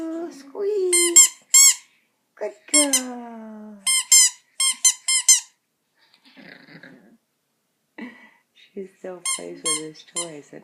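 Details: Poco the pet Chihuahua still howling at a squeaky toy, August 2014: rapid bursts of shrill toy squeaks answered by short howls that slide downward, with a quieter stretch of faint sounds midway.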